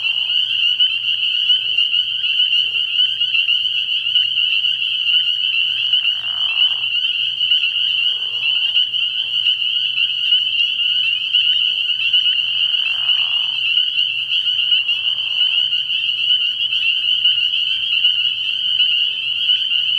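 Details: Dense chorus of spring peepers at a frog pond at night early in the year. Many overlapping high peeps form a continuous shrill ringing, broken by a few short, lower, rough bursts from other callers.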